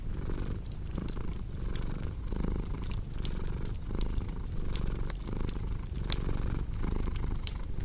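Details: Cat purring in a deep, buzzy rumble that pulses with each breath about once per second, while a cozy fireplace crackles with frequent bright clicks and snaps.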